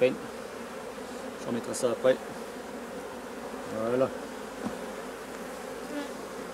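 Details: Steady, even hum of a honey bee colony during the replacement of drone-laying colonies, with brief human voices breaking in around the second and fourth seconds and otherwise an unbroken drone.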